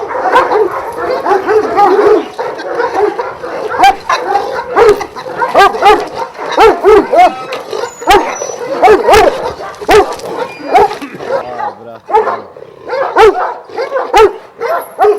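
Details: Twelve Šarplaninac dogs of Vujanski origin, kept at a kennel in Jasika near Kruševac, in a continuous, tangled chorus of deep barks, yips and whining from several animals, with barely a pause throughout.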